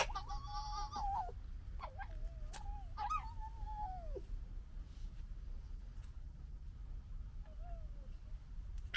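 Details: Red fox cubs of the 2021 litter squabbling: drawn-out, wavering nasal whines that sag in pitch, with sharp clicks and a faint background hiss.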